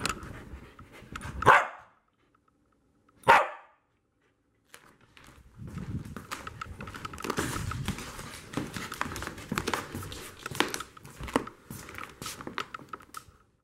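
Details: Corgi at chasing play, recorded at dog height: two loud, sharp barks about two seconds apart, separated by silence, followed by busy panting, footfalls and rustling movement.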